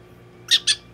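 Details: Two quick, piercing squeaks come from Donguri-chan, a prairie dog kept as a pet, during veterinary care in Nagoya. The brief high chirps are spaced a fraction of a second apart indoors.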